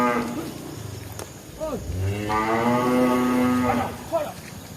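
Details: Tame village cow lowing: a long, deep, harmonic moo that holds steady and then fades, preceded by shorter rising and falling calls, with faint background murmur.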